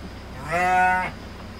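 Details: Garut sheep in a pen in Indonesia: one steady harmonic bleat of about half a second, level in pitch, over a faint low background hum.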